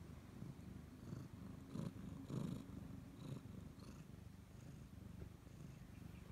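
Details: A Siamese cat that sticks close to its owner gives a steady, low purr, a coarse rumbling hum with a few louder swells and soft scratchy rustles.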